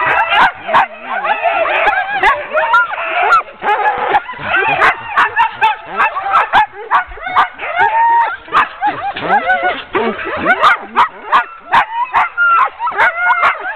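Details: Many sled dogs being hitched into a ten-dog team for a training run, 16 October 2010, yelp and whine without pause in a crowded high-pitched chorus, with scattered metallic clicks and knocks.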